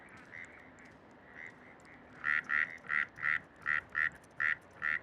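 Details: A frog in Bogotá gives a series of short, quacking notes repeated rapidly. It calls from early morning in the breeding season to attract a mate, as females choose among the males.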